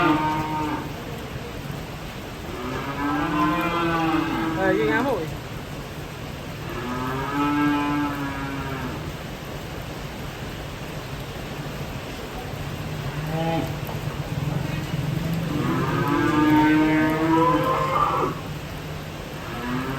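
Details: Cattle being unloaded by jumping off a truck give about four separate moos, long and wavering, spaced several seconds apart, with a broad hiss of rain-like noise and a low rumble beneath.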